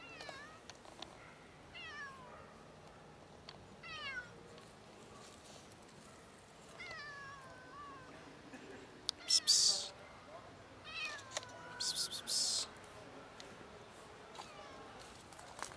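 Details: Ginger cat emerging from bushes and meowing for food; a string of short, harmonic-rich meows repeated every second or two, with a few sharp clicks and rustling noises in the middle.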